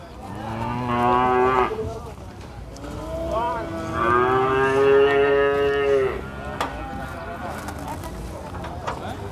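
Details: Cattle mooing at the Prambanan cattle market: a short moo, then a long bellowing moo of about three seconds rising slightly and ending abruptly, with background chatter and occasional knocks.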